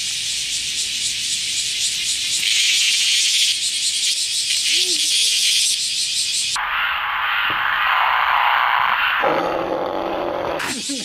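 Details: Semi, the Japanese cicada, being caught after a morning of loud buzzing: a harsh high drone swells and holds, then drops abruptly into a lower, rougher rasping buzz before breaking off, with faint background music.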